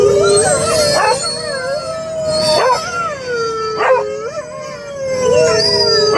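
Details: Beagle in a big truck barking and howling at radio dogs: wavering howls broken by several sharp bark-like bursts, with radio dog sounds and voices mixed in over engine hum.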